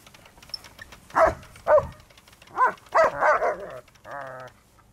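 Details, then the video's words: Two German Shepherds barking while attacking a moving lawnmower: several loud, harsh barks in quick bursts, some doubled, followed by a short whining yelp, with quiet background between calls. "Dogs attack the lawnmower!!"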